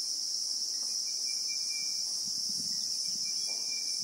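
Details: Steady, shrill insect drone from Christmas beetles (Anoplognathus) in the acacia bush of South Africa, real-time recording; the hiss-like buzz never pauses, and a faint high whistled line flickers on and off below it.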